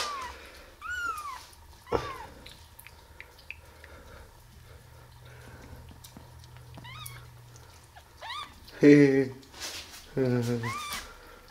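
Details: Eleven-day-old kittens from a litter of five, just opening their eyes, cry in shrill arching mews, several bursts including harsher stacked cries near the end, with a person softly speaking indoors between calls.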